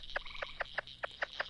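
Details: Green frog (Lithobates clamitans) in Texas, known as the banjo frog, gives short, twanging notes like a plucked banjo string, repeated in a quick series.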